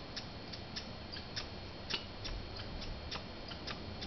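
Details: Fighting squirrels at Banff in Canada give a sparser string of short, hard clicks at uneven spacing over quiet background hiss.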